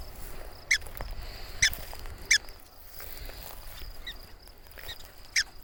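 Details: Prairie dog complaining about people nearby: four isolated, sharp, high chirping barks spaced about a second apart, with quiet outdoor background hiss between them.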